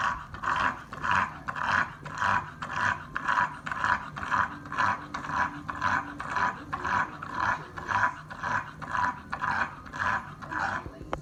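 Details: Bulldog tired out after a walk, making a loud rhythmic rasping sound: harsh, snorting breaths repeated roughly twice a second, steady and unbroken throughout.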